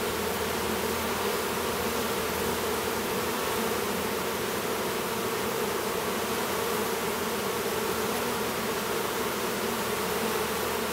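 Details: Apiary near Duluth, Minnesota, with a new drone honey bee emerging from his cell: a dense, unbroken hive hum, low and steady in pitch, with a hissy wash above it throughout.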